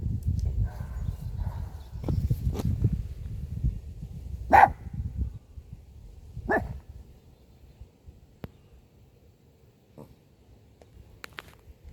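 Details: Dog barking at a car: a loud rumbling noise fades out as two single sharp barks sound about two seconds apart, followed by quieter clicks and taps.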